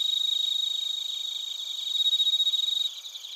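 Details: Close, loud bell cricket and cricket chirping in Narita, Chiba, Japan, recorded with a TASCAM Portacapture X8: fast regular high-pitched pulses ring clearly, peak around the middle, then abruptly soften near the end.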